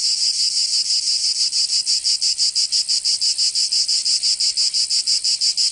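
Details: In southern France's Provence, summer cicadas produce a strident high buzz that swells and dips regularly, close to three pulses each second, loud and unaccompanied.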